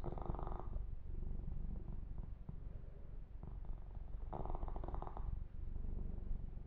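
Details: Pet kitten, male, purring under a massage, a low pulsing rumble, with brief brushing swishes at the start and again toward the end.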